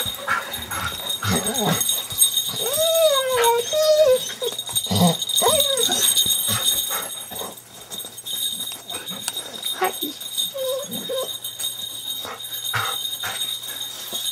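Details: Golden Retriever and Terrier mix welcoming owners home in 2005 after more than a week apart. A few wavering, rising-and-falling moans come early, then the dogs fade under people's voices, jingling and household noise.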